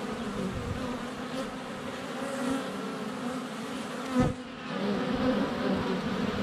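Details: Honey bees in flight at a hive entrance on a sunny February day, filmed up close with a GoPro Hero 7 Black; dense steady droning hum of many wings, with a sharp thump near four seconds as a bee strikes the camera.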